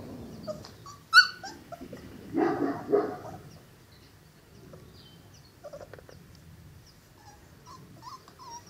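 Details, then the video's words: Five-week-old Cane Corso puppies from the parents Zola and Ziko give short high whimpers and yips, with a louder rough burst in the middle, then scattered thin squeaks over a soft low background rumble. "Morgen werden unsere Cane Corso Welpen 5 Wochen alt."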